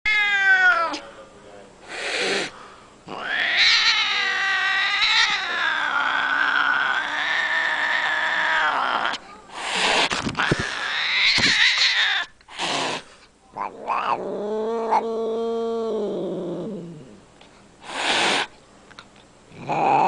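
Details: Domestic cat giving a long series of drawn-out, wavering yowls and meows, rising and falling in pitch, broken by short sharp bursts and brief pauses.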